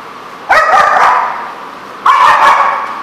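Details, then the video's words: Dog barking, recorded 17 March 2014: two drawn-out, harmonic yelping barks, each lasting about a second, about one and a half seconds apart, with quiet background between them. "The Barking Lot"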